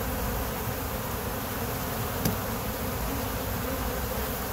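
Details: Honey bees kept by a beekeeper, a steady low droning hum of many wings filling the whole stretch, with one brief click near the middle and a faint plane noted in the footage.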